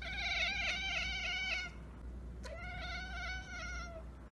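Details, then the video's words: Pet cat making its kekeke chatter at a bird or insect beyond reach: one long quivering burst of fast, stuttering, high chatter, a short pause, then a second trembling run, with a low background hum throughout. "cat kekeke"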